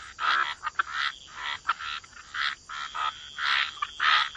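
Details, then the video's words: Wetland frogs giving drawn-out nasal croaks, each lasting a fraction of a second, spaced irregularly in a chorus, with a faint steady high hum behind. "Frog Lullaby: Relax to the Sound of Croaking Frogs"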